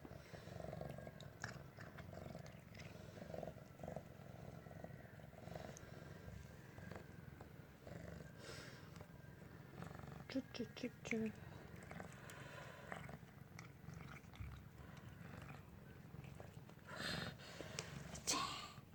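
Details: Pingu, a water-loving former stray cat brought home from a vegetable garden 100 days earlier, playing in the bathroom: a steady low rumbling purr throughout, with a few brief higher chirping notes midway and scattered soft knocks and clicks.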